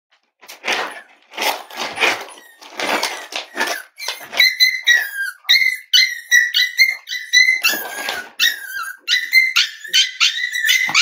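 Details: Cavalier King Charles Spaniel puppies, five weeks old, from the litter of Myra and Remy at Red Barn Cavaliers, indoors: a few rough barks, then a run of high, quick, wavering whines and yips in close succession.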